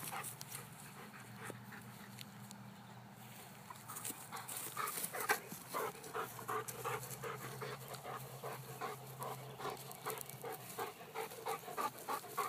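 A Weimaraner pants in quick, rough bursts, with faint whimpers mixed in.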